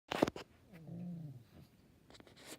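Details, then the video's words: A pet dog making an odd low grunting moan while her face is rubbed, one drawn-out groan sliding downward, framed by handling rustles at start and end. "My dog makes weird grunting noises while her face gets rubbed"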